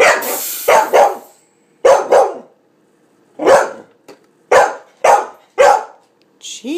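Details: Cardigan Welsh Corgi that dislikes a soda maker's noise, barking loudly: harsh barks in a run of doubles and singles about every half second, a hissing burst at the start, a person speaking at the end.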